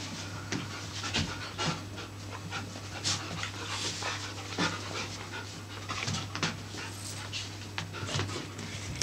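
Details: Siberian Husky panting in quick, breathy bursts over a steady low hum while an adult husky and a husky puppy play together in a hotel room in Poland at their first meeting.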